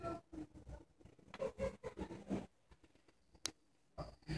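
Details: A sleeping English Bulldog, possibly a mix, snores with coarse, gravelly snorts and grunts in uneven ragged bursts, the rumbling fading to quieter breathing with a sharp click near the end; English Bulldog.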